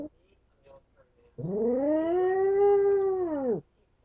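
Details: Domestic dog left alone howling: one smooth, arched howl of about two seconds, rising then gently falling, preceded by faint short whines.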